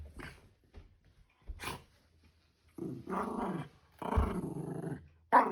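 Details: Shiba Inu Ranmaru, excited at the family's return, grabs the father's slipper, carries it to the carpet and shakes it. Two rough, low, harmonic growls of about a second each, with soft thumps and brief noises between them.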